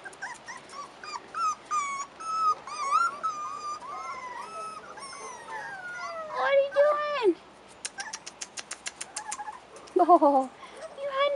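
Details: Outdoors for the first time, 4.5-week-old Rottweiler puppies whine in long, wavering, descending cries, then a burst of rapid squeaky yips. A woman talks to them, and faint music plays.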